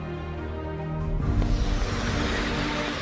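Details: Orchestral soundtrack music with deep sustained bass notes and a swelling hiss-like wash building after the first second; no animal voice.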